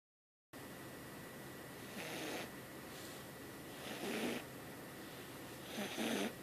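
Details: Domestic cat named Jasmine, a kitten, snoring while asleep in the middle of the night; three soft, breathy snores at irregular intervals of about two seconds, each a short noisy rasp over a faint steady background hum.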